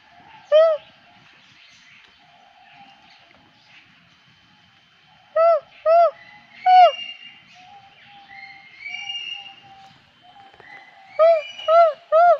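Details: Lar gibbons at Avilon Zoo: loud, clear hooting notes that swoop up and down, sung in short bursts of one to three separated by silences, with higher, brief rising wails in between; faint background hum.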